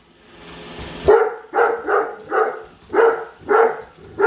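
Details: Great Dane named Padme barking indoors while following a new Roomba she dislikes; after about a second of low machine noise, six loud, deep barks come at irregular half-second gaps.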